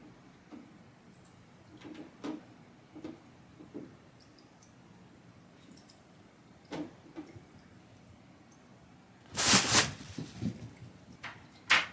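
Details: Indoor room sounds: soft scattered knocks and taps, then a loud broadband clatter and bang near the end, with no animal voice.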